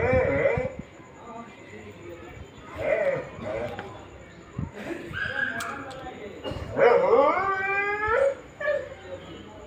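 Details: A pet dog whimpering and yipping out of jealousy while its owner feeds a street dog: short sharp yips at the start, then a long high whine that slides downward and fades, with a person talking nearby.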